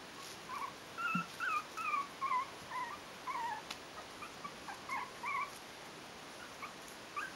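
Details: Four-week-old Yorkshire terrier puppies from litter A at a breeding kennel squeak and whimper in a string of short, high, wavering yelps, several voices overlapping at a quick pace, with quiet gaps between bursts and a soft background hiss.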